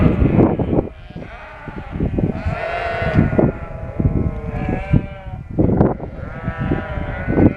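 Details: Shropshire sheep, noisy after lambing once moved into a field in Shropshire countryside; repeated drawn-out, wavering bleats from several ewes and lambs overlapping, with steady low rumble and knocks beneath.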